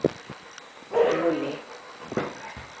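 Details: Rottweiler up against a six-year-old child, giving one deep, rough vocal burst about half a second long, growl-like with low harmonics, set between short sharp knocks and faint indoor background noise.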